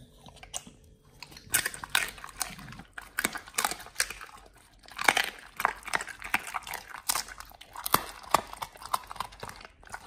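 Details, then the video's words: Pit Bull nomyen eating a raw beef shank combo with green tripe, chicken feet and quail egg; quiet opening second, then steady crisp crunching and wet chomps in rapid succession. "nomyen the Pit Bull eats Raw Beef Shank combo [ASMR] BARF | MUKBANG 動物の咀嚼音 | 犬が生の肉を食べる"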